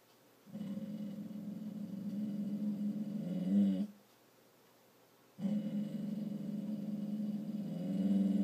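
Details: A dog trying not to bark gives a steady low growl for about three seconds, rising into a brief whine, then a pause of silence before a second sustained low growl resumes, indoors.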